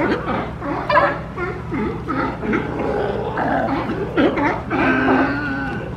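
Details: Boisterous sea lions jostling for resting space in Monterey Bay, California, during an influx; overlapping gruff barks and wavering moaning calls, one long steady drawn-out groan near the end.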